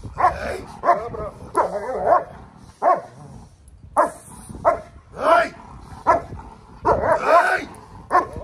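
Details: German Shepherd guard dog alerting to an intruder, giving loud deep barks in short bursts of one to three, spaced irregularly over several seconds, with a man's voice faintly underneath.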